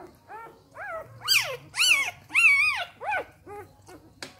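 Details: Three-day-old Samoyed puppies from an A-litter, indoors, giving a run of arched, rising-then-falling squeaky whines, roughly two per second, growing louder and shriller in the middle before fading to softer squeaks.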